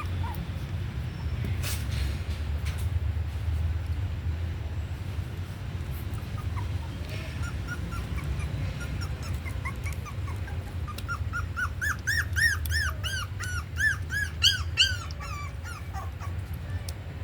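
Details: A puppy raised on milk powder, whose growth is described as very slow, breaks into a quick run of high, arching whimpers and yips in the second half, after a stretch of low rumbling background noise.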